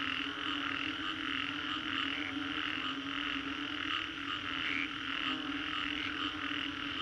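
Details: After a storm in Singapore's Green Corridor, many frogs croak at once, their rapid pulsed calls merging into a steady shimmering chorus over a low droning background.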